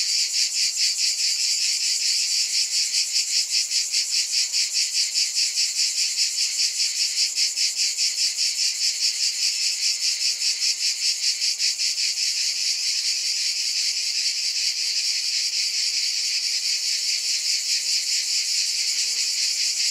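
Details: Long unbroken cicada buzz, sharp and high, its throbbing pulse very regular at first and smoothing into a near-steady drone later on.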